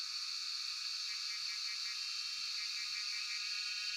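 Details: Cicadas (Jhyaukiri) drone in a continuous, high, shrill buzz that never breaks, recorded by cellphone in Shivapuri National Park, Tarkeshwor.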